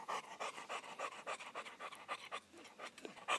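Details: Pure-bred Cocker Spaniel excited at feeding time, panting rapidly in quick regular breathy bursts, about three to four per second.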